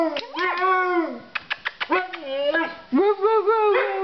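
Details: Puppies howling together: a wavering howl, a string of quick sharp yips, then another long undulating howl with a second voice joining.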